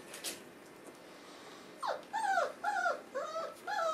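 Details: Four-week-old Boerboel pups with their mother, indoors, yelping. After a quiet start with soft rustles, five short, high, bent yelps follow about every half second, each rising then falling in a whiny arc.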